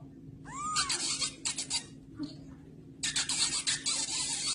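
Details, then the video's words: Kitten stuck in a glass, giving a short rising-falling mew early on, followed by bursts of hissy, rustling noise and scraping against the glass, with a faint steady hum underneath. "Funny baby cat is stuck in a glas"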